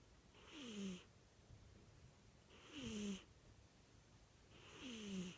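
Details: Cat snoring with slow, regular breaths, about one every two seconds. Each has a low wheezing tone under a hissing rush of air, and near-silence comes between snores.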